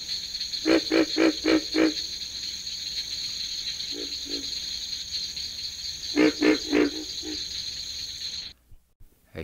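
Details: A pig frog (Rana grylio), which has internal vocal sacs, gives bursts of low, rapid, piglike grunts over a steady high insect drone.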